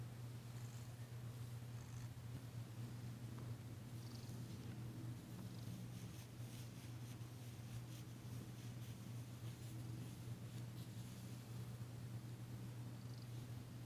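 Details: Low steady purring from Danci, a female cat being massaged indoors on February 9, 2022, her first purr heard since arriving; the rumble holds unbroken for about fourteen seconds amid faint rubbing noises.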